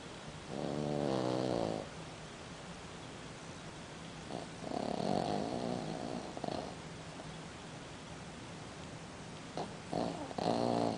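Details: A sleeping six-month-old Boston Terrier snores in three rasping, buzzy bursts, each lasting one to two seconds, with quiet breathing gaps between them and a low steady room hum underneath.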